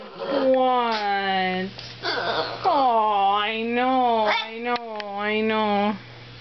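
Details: Boston Terrier. A Boston Terrier gives drawn-out, wavering whines and moaning howls that rise and fall almost like talking, with brief breaks between phrases. The dog is unhappy and demanding attention, with a low steady hum underneath.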